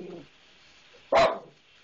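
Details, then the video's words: Pet dog barking at the maintenance man it dislikes: a faint voice at the start, a quiet pause, then one loud, abrupt bark that fades quickly. "Lion Dog Barking!!!"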